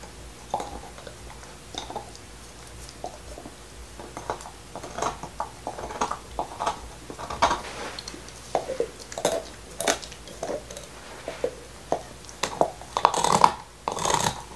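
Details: Black Lab named Nixon eating his favorite beef bone inside, no talking; steady run of scattered crunches and wet mouth clicks, building to a cluster of louder sharp cracks near the end.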